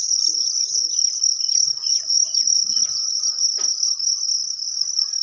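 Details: Crickets laying eggs, farmed for sale in Thailand, produce an unbroken shrill high trill, slightly pulsing, over soft tapping and scraping noises.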